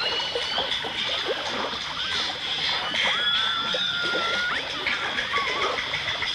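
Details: Dolphins and orcas, recorded in stereo in 1989: wavering mid-pitched whistles bend and loop, one long level tone ending in a quick upward flick, with high steady tones and busy clicking underwater crackle throughout.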